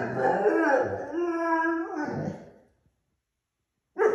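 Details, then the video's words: German Shorthaired Pointer puppy, noisy early in the morning, gives a long wavering howl-like bark that slides and fades after about two and a half seconds, then a sharp new bark starts. "Puppy Being Rebellious & Loud In The Morning"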